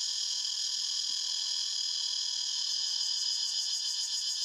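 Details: Cicadas in a forest fill the air with a steady, high, shimmering buzz that never pauses.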